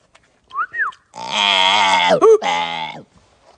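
A chimpanzee gives two quick whistled squeaks, then a long, harsh, buzzy cry that breaks briefly midway.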